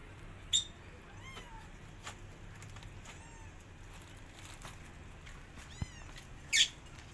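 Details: Kittens of a litter of five pressing their mother cat to feed them while she is upset; thin, high rising mews come in short bursts, with two sharp loud cries and background hum.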